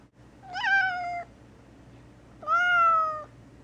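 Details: Gray tabby cat named Mouse, a very vocal pet kept indoors, meowing while confined to a bathroom for a few days on medication after feeling under the weather; two drawn-out harmonic meows, the first rising then sliding down, the second steady and level.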